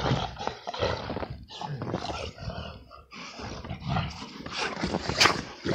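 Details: XL American Bully at play, wrestling in the snow in winter; gruff growls and snorting bursts come in irregular clusters, with a brief quieter gap near the middle and a sharp burst near the end.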